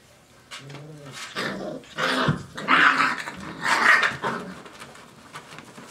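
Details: Five-week-old Dogo Argentino puppies indoors, giving short rough growls and yapping barks in a few bursts, the loudest near the middle, in a small room.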